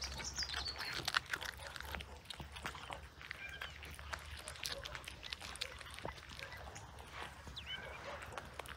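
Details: Cats eating fresh sprat: a dense run of soft, irregular wet clicks and crunches from chewing, with faint bird chirps in the background and a low steady hum.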